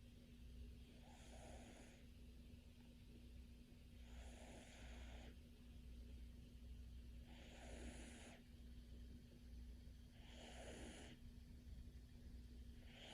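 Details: Domestic cat snoring while asleep: soft breathy snores repeat roughly every three seconds, each a broad hissy puff, over a steady low hum and faint constant background tone.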